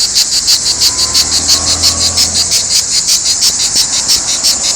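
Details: Cicadas singing in Provence, a loud, dense, high buzzing throb pulsing steadily about three times a second without pause, with a faint low hum beneath.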